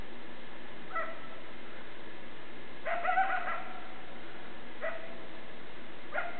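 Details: A young coyote in a backyard gives scattered short, sharp barks and yips, with one longer wavering yelp, over a steady hiss.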